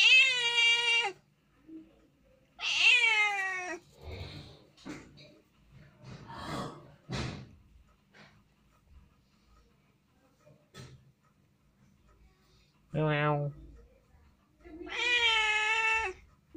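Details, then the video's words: Domestic cat meowing repeatedly indoors, several loud harmonic cries about a second long with falling tails, separated by pauses with soft rustles and thumps, one short sharp mew near the end before a final long meow. "Cat Voice"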